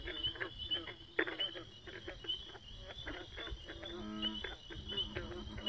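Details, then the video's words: Frogs in a dense chorus: overlapping low, nasal croaks that rise and fall, with rapid ticking pulses and short high chirps repeating over a steady background hum. "Frogs gone wild"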